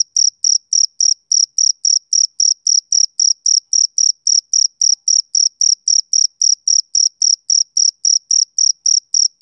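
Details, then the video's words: Continuous rhythmic chirping from a male cricket on a summer evening, sharp high pulses repeating about three and a half times a second without pause, nothing else audible. "Cricket Chirping Sound"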